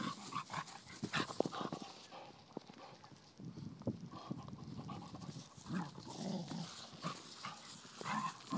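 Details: Blue nose Pit Bull puppy, ten weeks old, wrestling with a five-year-old Vizsla; short growly grunts and breathy huffs come in clusters between rough scuffling and bumping sounds.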